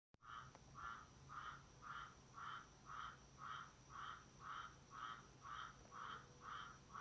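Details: Tree frog calling in a very quiet recording, a short burred note repeated steadily about twice per second, about a dozen pulses in sequence over faint background hum.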